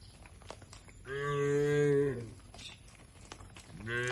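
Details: Tame cattle grazing on fresh grass in an oil palm plantation in Indonesia give a single drawn-out moo lasting about a second, steady and harmonic, ending with a falling tail; a second moo begins at the very end, with clicks of chewing between.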